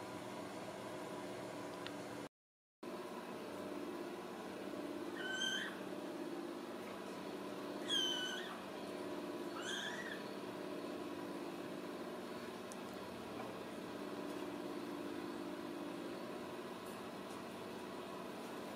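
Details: Ragdoll kittens raised indoors without cages at a home cattery in central Kansas give a few thin, high mews with a slight bend in pitch, spaced several seconds apart over a steady low household hum.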